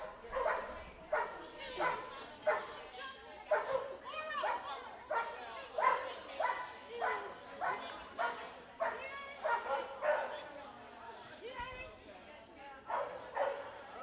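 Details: Clumber Spaniel on an Excellent Standard agility run at an indoor trial in Dexter, Michigan, barking steadily, about ninety short yappy barks a minute in uneven rhythm, with occasional soft thuds and background voices.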